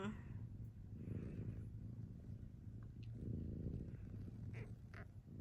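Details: Snoring from a sleeping domestic cat, heard as slow, breathy low rumbles that rise and fall roughly every two seconds, with faint household noise and a few soft voice fragments above.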